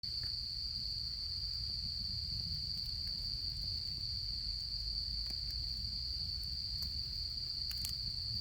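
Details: Autumn insects at a campsite in Japan, giving a steady, unbroken high-pitched trill that holds one even tone throughout, with the soft crackle and pops of a campfire underneath.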